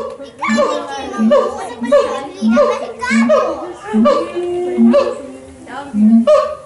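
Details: At the Los Angeles Zoo, an endangered siamang sings loud, harmonic hoots and barks repeated in a steady, pulsing rhythm.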